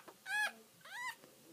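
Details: Newborn puppy crying just after birth; two high whimpers, the first held level then falling, the second rising then dropping, each under half a second, in a quiet room.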